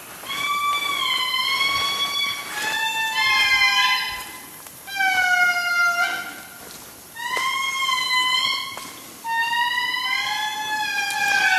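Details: Several Indri (Indri indri) in Analamazaotra National Park, Madagascar, wail in long, pure, siren-like notes that swell and glide, overlapping in chorus.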